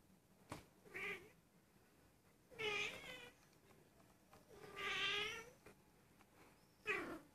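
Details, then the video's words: Female Persian cat, almost a year old and thought to be in heat, mewing repeatedly at home; loud, rich, harmonic meows, some long and wavering, roughly every two seconds. "Persian cat in heat"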